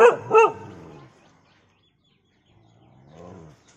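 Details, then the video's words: Dog giving two quick barks at the start, followed by a low drawn-out whine near the end, otherwise quiet. "dog Sound"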